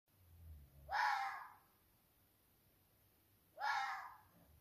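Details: Young roe deer buck barking at 2 a.m. in the rut, challenging as though he were the dominant buck of the neighbouring forest; two harsh, hoarse barks about three seconds apart, each roughly half a second long, over quiet night background.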